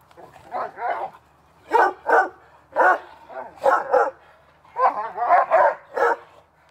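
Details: During summer backyard play, two dogs bark in quick pairs and clusters of rough, harmonic yaps, about ten barks over several seconds, with faint low background hum.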